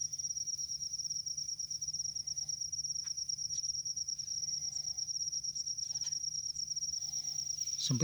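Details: A field cricket in a rice field sings a steady, high-pitched trill without a break while people nearby try to catch it, their faint voices behind it.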